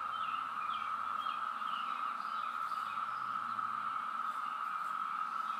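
A massed chorus of periodical cicadas holds one unbroken, buzzy drone at a steady pitch from start to finish. A few faint bird chirps slip in above the wall of insect sound.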